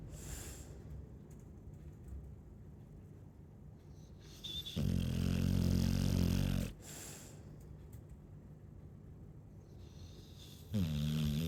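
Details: Sleeping Chow Chow dog giving two low, harmonic rumbling snores about six seconds apart, the first nearly two seconds long, with quiet breaths and light hissing between.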